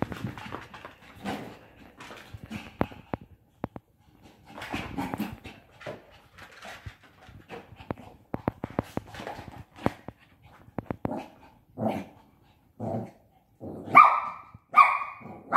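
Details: Bradley, a five-month-old Shih Tzu puppy playing with a pop-up tent, gives soft breathy whimpers and pants amid rustling, then two sharp high yips near the end.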